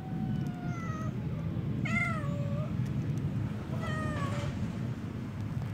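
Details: Outdoor stray cats calling with three long, descending meows about two seconds apart, the middle one strongest and slightly wavering, over a continuous low mechanical rumble.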